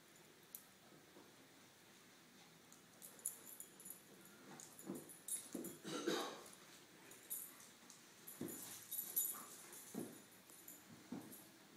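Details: Young male Lhasa Apso inside, mounting a small roll pillow off an antique daybed; wheezy breaths and snorts come in an uneven run of bursts over the second half, with light rustling between.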